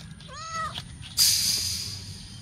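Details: Adopted stray kittens, eight weeks old, playing in a backyard: one short harmonic meow that rises and then falls, followed by a sudden loud burst of broad hissing noise. Faint background bird chirps.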